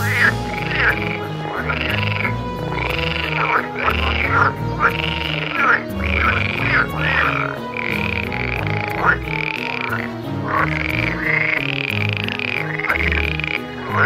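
A chorus of edible frogs croaking and rattling in overlapping bursts, calling in courtship.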